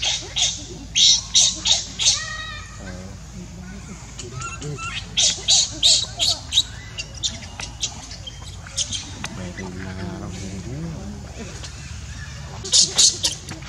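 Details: Baby monkey Leo, hungry and crying to beg milk from his mother: bursts of shrill, piercing squeals in quick repeated runs, broken by lower wavering, harmonic whimpers midway, then more sharp screeches at the end.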